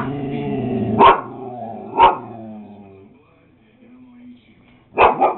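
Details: Beagle puppy named Max, eight weeks old, giving short sharp barks at about one and four seconds and a double yap near the end, with lower harmonic whining and music between.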